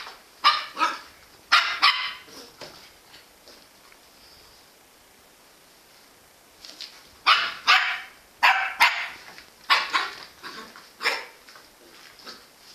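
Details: Jack Russell Terrier barking in sharp, broadband bursts, some doubled, in two clusters separated by a quiet gap of about four seconds.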